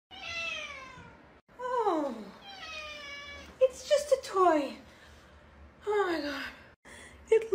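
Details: Domestic cat meowing indoors, several drawn-out falling meows with rich harmonics, each about a second long, separated by short pauses, with a person speaking briefly in between.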